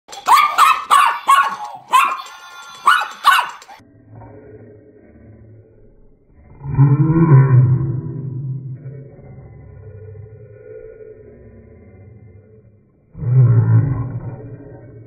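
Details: Miniature Pinscher at Halloween on the attack: a quick burst of four or five sharp, ringing barks in the opening seconds, followed by deep, drawn-out, rumbling slow-motion versions of the barks separated by quiet stretches.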